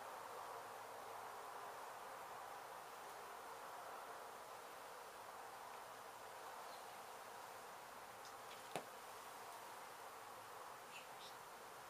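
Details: Honey bees from a hive struck by construction crews at an abandoned home being demolished in Mission, Texas, during a rescue and relocation: a steady, dense, even hum of many bees throughout, with one sharp click near the end.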